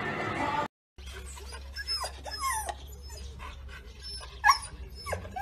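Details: Husky puppy whimpering and yipping: several high, sliding whines rise and fall in quick succession after a brief silent cut near the start, with a sharper yelp toward the end over a low steady hum.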